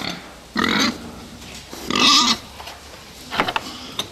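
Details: Pigs kept for fattening, giving two long, strained squeals of about half a second each, then a cluster of shorter, sharper squeaks.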